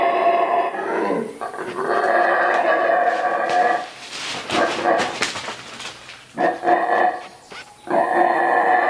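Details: Roaring mantled howler monkey, the saraguate of Central American rainforest: loud, harsh, droning howls lasting seconds, interrupted midway by a noisy stretch of rustling and crackling before the roaring resumes twice.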